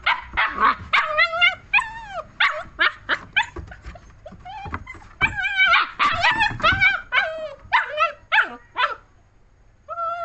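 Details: German Shepherd puppy giving a rapid series of high, tonal yips and whines, each bending up then down in pitch, about three or four calls a second with short pauses, continuous over ten seconds.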